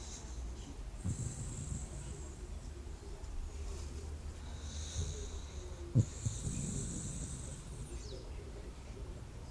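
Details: A dog, worn out after a roughly three-hour walk in the countryside, sleeps at the dacha and snores: deep, rough breaths around the first and sixth seconds, with faint high ringing tones behind.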